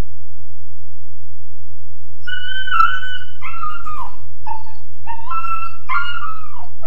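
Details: Weimaraner pup of about 13.5 weeks in its kennel: after two seconds of hum only, a sustained high wail followed by several shorter falling whines, each bending downward.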